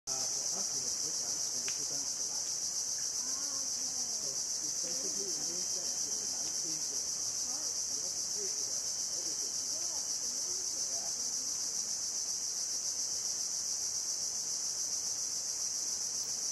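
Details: Cicada singing among mangroves on the coast of Bako National Park, Sarawak, Borneo, Malaysia, 17 February 2017: an unbroken, shrill high-pitched drone holding steady for the whole stretch, with faint scattered lower sounds beneath.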